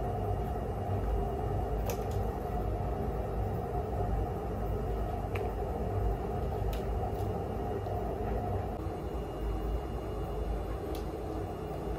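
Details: Continuous low indoor rumble with a few faint clicks and taps, and no animal voices.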